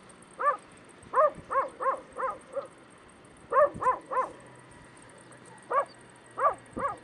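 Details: Stray puppies in Bursa, Turkey, letting out sharp, high yips in small groups of three to five, a short quiet gap midway, faint background hiss.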